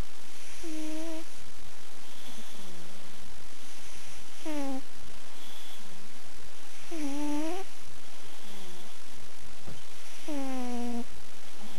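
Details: Goro, a pet cat kept at home, snoring loudly while asleep indoors: tonal, whistling snores that slide downward in pitch, repeating roughly every two to three seconds over a soft steady background.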